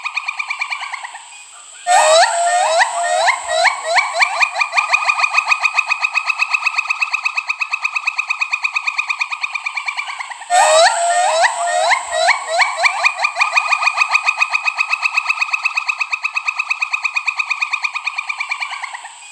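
Pileated gibbon giving loud, rising whoops that quicken into a long run of rapid, bubbling notes.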